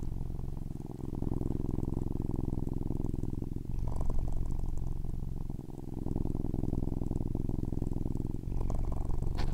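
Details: Cat purring loudly in a deep, steady vibrating drone, breath cycles audible as slight dips in loudness around the fourth and sixth seconds, with a brief rustle near the end.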